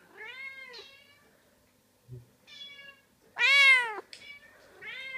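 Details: Pet cat meowing indoors while hearing other cats played on a computer: a few drawn-out, wavering meows with rich harmonics, one louder rising-falling meow near the middle, short chirpy calls between, quiet room.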